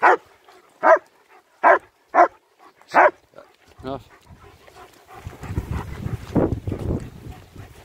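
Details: German Shepherds Nico and Zeeva out on a winter walk in Hawick, Scotland; five clear barks in the first three seconds, then a brief whine and rustling outdoor noise with a faint voice.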